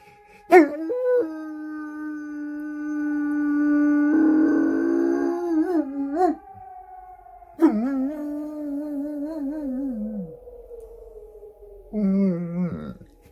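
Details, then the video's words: Wolfdog howling with sirens, long sustained howls that waver and slide downward, with a steady background tone and a burst of noise partway through. "Wolfdog howling with Sirens"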